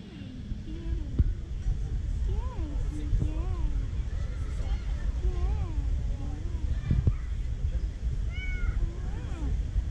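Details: Female tabby cat in a park, meowing constantly for affection; a run of short arched, rising-then-falling mews, some with brighter higher overtones near the end, over steady low outdoor rumble and nearby talking.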